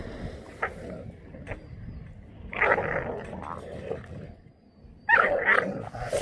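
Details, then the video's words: Jindo dog met on Jindo, Korea, giving a few short, harsh bark or growl bursts, one near the middle and another near the end, separated by quieter stretches with faint background clatter. "진도에서 만난 진돗개/ korea jindodog"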